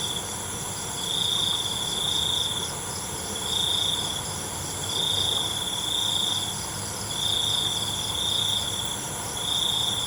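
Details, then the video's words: Crickets singing at night: buzzy high-pitched trills about a second long, repeated roughly every two seconds, over a steady shrill insect hiss from other callers. "ALUNAN CENGKERIK MALAM"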